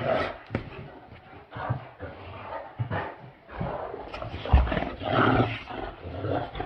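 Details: A pair of Great Danes, one male, one female, play-fighting with low snarling growls and huffing grunts in uneven bursts, separated by brief quieter gaps, and a sudden loud thump near the end.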